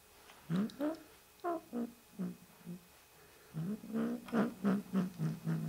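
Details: Possessive kitten giving a series of short, low, chirping vocal bursts, about a dozen in under six seconds, in two runs separated by a brief pause, indoors.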